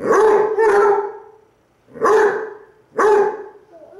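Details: Two Basset Hounds, one brown and one black, howling back and forth at each other while one lies on its side: four loud, mellow, strongly harmonic baying howls, each with a bright onset that tapers off, separated by short silences.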